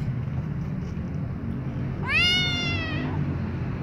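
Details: Kitten, white, meowing loudly while being licked by its mother: a single bright, rising then level cry of about a second, rich in overtones, above low steady noise.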